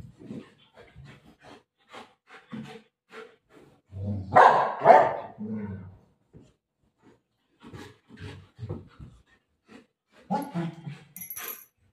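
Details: Golden Retriever dog play fighting with its mother indoors: short, low, rough growling bursts and barks come in quick uneven succession, peaking in a louder broadband outburst midway, then trailing into softer scattered grunts.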